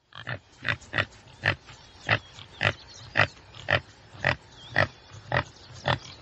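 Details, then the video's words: Rhythmic, evenly spaced harsh grunts from a common tsessebe, about two per second, each a short burst of noise, with soft birdsong behind. "Sasebi właściwy. Odgłosy i Dźwięki jakie wydaje Sasebi właściwy. Jak robi Sasebi właściwy?"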